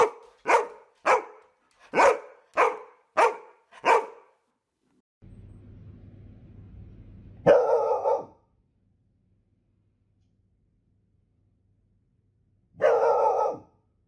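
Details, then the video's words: Golden Retriever barking in a rapid burst of six sharp barks, then a low rumbling noise, followed by two longer, heavier barks spaced several seconds apart. "Golden Retriever Barking Sounds To Make Your Dog Bark | Aggressive Growling"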